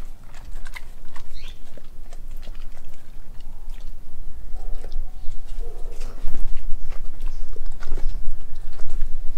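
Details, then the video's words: Nala, a mixed Australian Kelpie and German Shepherd, eating raw meats including chicken feet and beef heart; a dense run of quick wet chewing and crunching, several bites each second. "ASMR Eating Raw Meats"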